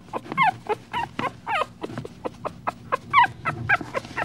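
A raccoon gives a rapid run of squeaky, whimpering chirps, about two every second.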